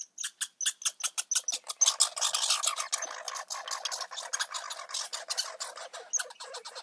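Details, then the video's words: Baby red squirrels calling: a rapid run of sharp, broadband clicking squeaks, evenly spaced at first and then merging into a denser, louder chatter around the middle before thinning out into separate pulses again. "Baby red squirrels"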